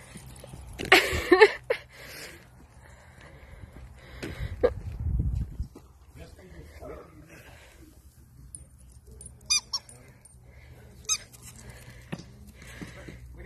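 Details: Playing miniature dachshund gives a brief burst of high, harmonic yelping whines, then scattered squeaky cries, with people talking and handling noise around it.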